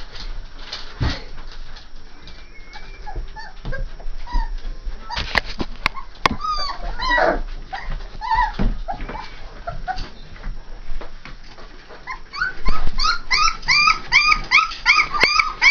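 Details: Saint Bernard puppies, three and a half weeks old: after a mostly quiet stretch with scattered faint squeaks and thumps, a burst of high, arched whimpering squeals repeats rapidly over the last three seconds.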